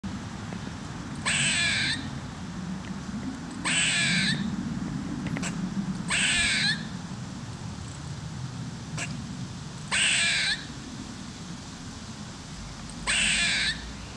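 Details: Squirrel screaming in Smyrna, Georgia, recorded on a Canon 5D Mark II: five harsh, noisy bursts about half a second long, repeated every two to three seconds, over a steady low rumble.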